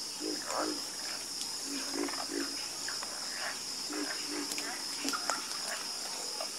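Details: Nighttime chorus of frogs: short, low, throaty croaks from several callers overlapping irregularly, with a steady high insect hiss running throughout.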